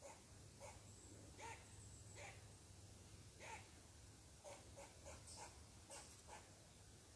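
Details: Upset squirrel protesting a person sitting on its tree, giving quick harsh chuffing barks roughly every second, some in close pairs, over a low outdoor rumble and thin distant bird whistles.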